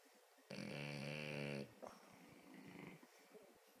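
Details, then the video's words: Sleeping French Bulldog giving a loud, harsh rattling snore of about a second, then a brief snort and a stretch of soft, breathy exhaling in a quiet room. "Snoring dog"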